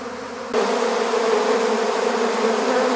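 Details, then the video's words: Swarming honeybees during capture into an empty beehive; after a quieter half second the hum jumps suddenly louder into a thick, continuous droning buzz with bright overtones that holds steady to the end. "How to Capture a Honeybee Swarm"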